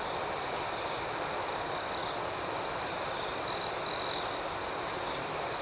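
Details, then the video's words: Night crickets chirp together in a dense high ringing with evenly spaced pulsing notes on top. Past the middle, a couple of short, louder trilled bursts jump out before the steady chorus resumes. "Soothing Cricket Sounds"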